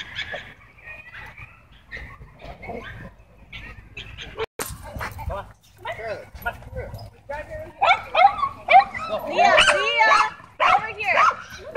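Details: Dogs at a dog park, tense because owners kept their dogs leashed inside, squaring off in a dogfight. Human voices talk at first, then sharp yelps and snarling barks build into rapid, loud bursts over the last four seconds.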